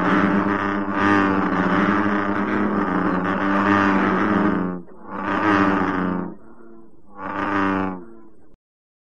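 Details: An American bullfrog (Lithobates catesbeianus) in Korea gives its very loud advertisement call, repeated deep, resonant, rumbling drones: a long rumbling note followed by two shorter bursts.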